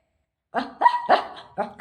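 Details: Pet Shih Tzu greeting the owner's mother with three short, high, clipped barks in quick succession, the middle one drawn into a brief whine.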